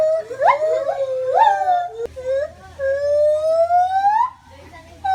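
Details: A white-handed gibbon at a zoo, hanging, gives clear, wailing hoots that slide upward, ending in one long rising note.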